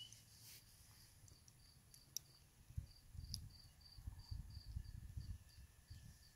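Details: Spring peepers calling at a swamp: short, high, piping peeps repeat rapidly and irregularly above a steady low rumble, with a few sharp clicks and knocks early on.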